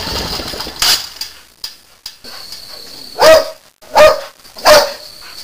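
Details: Boxer dog at night barking at a raccoon it has cornered on a porch: loud, sharp barks, a few spaced irregularly early, then three strong barks about every 0.7 seconds, with a steady high whine in the background.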